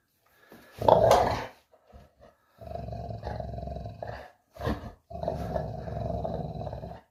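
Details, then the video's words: Puppy growling during play indoors, in rough broken bursts: a loud snarl near the start, then two longer rumbling growls with short grunts between them. "Dog play time funny puppy noise"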